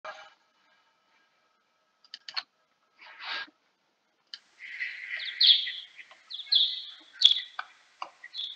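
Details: Kuhl's pipistrelle bat, time-expanded ten times, giving sigmoid-type echolocation calls and type D social calls: scattered short sweeping chirps, then a denser run of buzzy, wavering notes and sharp downward sweeps toward the end.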